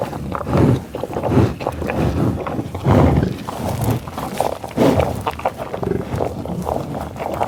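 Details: Tallgrass prairie bison near Pawhuska, Oklahoma, USA, captured in a field recording on Schoeps and Sound Devices 788T gear: close, breathy sniffing and heavy snorting exhalations about every second or two, mixed with low grunts.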